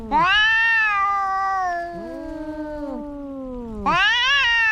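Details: Two cats in a fight: a loud falling yowl fades into a long low wavering moan, with a second voice curving beneath, then a sharp renewed howl.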